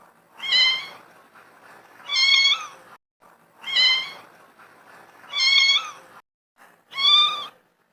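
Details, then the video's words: Kitten at play giving five clear, bright mews, each about half a second long with a slight upward bend, repeated at an uneven pace with near silence between them. "Cute Kitten Meowing - Kitten Playing"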